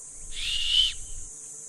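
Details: Young female Uganda kob in Uganda, agitated, giving a distress call that carries about a hundred metres as she searches every direction for her young. A single loud, rough, whistled cry of about half a second over a steady high insect drone.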